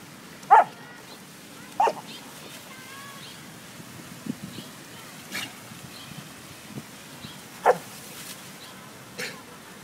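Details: A dog playing with water lets out a few sharp, isolated barks spaced several seconds apart, with soft splashing and faint background noise between them.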